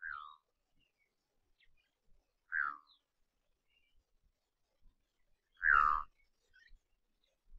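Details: Kirk's dik-dik, a tiny monogamous antelope living in territorial pairs, gives short, nasal, downward-sliding whistles, repeated every few seconds, in the semi-desert of Samburu, Kenya.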